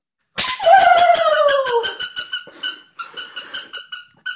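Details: Papillon dog, 8.5 months old, during training: one long whine sliding downward, then rapid high yips repeated about four times per second, trailing into a short final yip.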